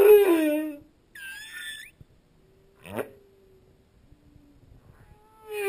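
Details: Humpback whale song recorded underwater: a loud, harmonic moan falling in pitch, then a higher wavering squeal, a quick sweeping upward chirp, and a faint low tone before another moan begins.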